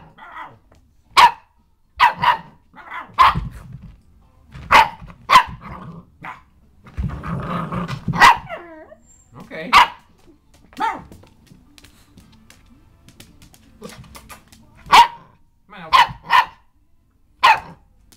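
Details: Elsie, a dog hiding under an office chair, barks in sharp single yaps, often paired, spread across the recording; a rougher growly stretch sits near the middle.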